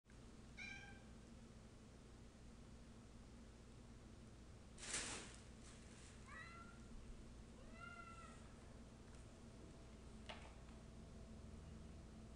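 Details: A cat meowing: three short, faint, bent meows about 0.7, 6 and 8 seconds in, with a sharp knock near five seconds and a steady low hum throughout.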